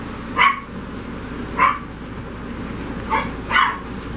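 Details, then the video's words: Rat Terrier puppies, female, seven weeks old, giving short high yips: four brief calls spread over about four seconds, the last two close together, over a steady low background hum. "Rat Terrier puppies-The girls @ 7 weeks old"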